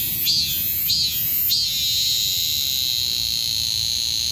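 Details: A cicada's piercing buzz opens with three quick rising-falling pulses, then settles into a continuous high, even drone.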